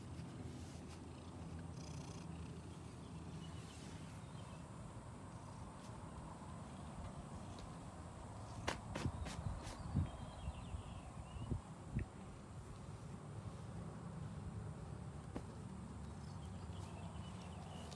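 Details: A neighbour's female cat purring steadily in a garage while greeting a person in the morning; a low, continuous rumbling purr throughout, with a few brief knocks and rustles around the middle and a quiet voice before it.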